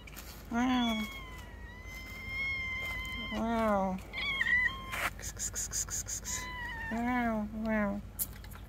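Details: Calico cat on a roof answering a person's coaxing with repeated falling meows, three main calls a few seconds apart, mixed with steady high whistling tones, clicks and soft handling noises.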